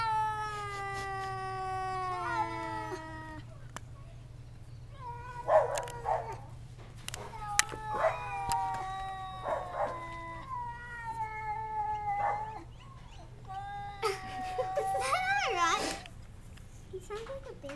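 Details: Domestic cat caterwauling at a visiting cat behind a screen door, a long descending yowl followed by shorter broken wails and spitting hiss-like bursts, ending in a harsh rising screech.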